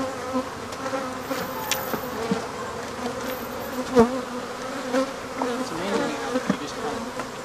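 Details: Continuous low droning of African honey bees during removal of their hive, a steady even hum with a single sharp tap around the midpoint and faint clicks in the background.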